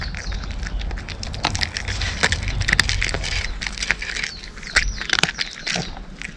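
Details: Cat crunching dry kibble, crackly bites in uneven bursts over a continuous low rumble, some sharper snaps standing out.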